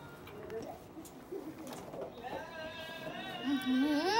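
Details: Young cat named Mufasa, a rescued street kitten: a rising, wavering meow at the end, preceded by people talking in Arabic.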